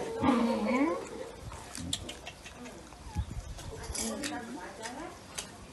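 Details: Fed fish mixed with rice, a kitten gives a wavering, bending meow at the start, followed by quieter mews and small bumping and handling noises.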